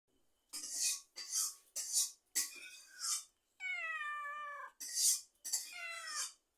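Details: Cat meowing repeatedly: a run of short, bright, breathy meows about every half second, then one longer drawn-out, wavering meow that falls in pitch, followed by two more short meows.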